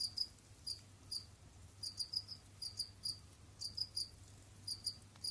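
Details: Pet Jamaican field crickets (Gryllus assimilis) roam, dig and hunt in their enclosure, giving short, high, bright chirps, singly or in quick pairs and triplets, scattered irregularly over a faint low hum.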